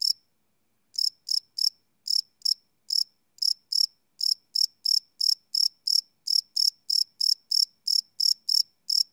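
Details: A cricket chirping at night, recorded live with no loops on a Sony PCM D100: one chirp, a pause of nearly a second, then a long run of high, evenly pulsed chirps, about three a second, with small irregular gaps.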